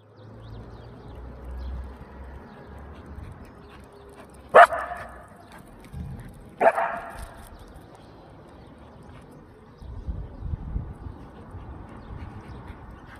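A Belgian Malinois gives two sharp, loud barks a couple of seconds apart.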